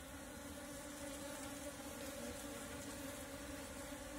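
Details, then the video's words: Natural Apis cerana swarm being gathered into a bee cap: a thick, unbroken buzzing drone of many bees, a low steady hum layered with a higher tone, holding even in loudness from start to finish. "Catch Natural Apis Cerana bees Swarm with bee cap"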